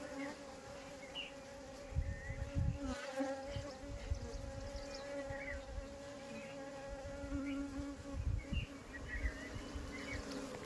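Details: A captured honey bee swarm being returned to the hive gives an unbroken buzzing hum rich in overtones. Bursts of low thudding handling noise come around two to three seconds and again near eight seconds, with small chirps in the background.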